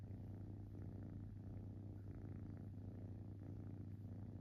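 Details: Relaxed young cat purring: an even, deep rumble sustained for the whole stretch, softly pulsed with slight swells every second or so, recorded close up in quiet surroundings.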